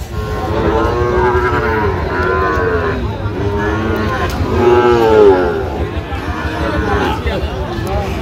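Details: Sahiwal bull calves at a cattle market in Parbatipur, Dinajpur, Bangladesh, 17 October 2025: several overlapping drawn-out moos with curved harmonic bands, calling almost continuously amid a noisy crowd background.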